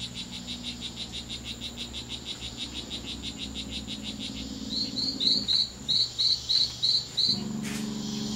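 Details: Two fighting male strawberry poison-dart frogs, C.R.A.R.C. reserve, September 10th, 2012: a rapid run of short high buzzy pulses, then a pause and a series of louder separate chirps, with a low hum underneath.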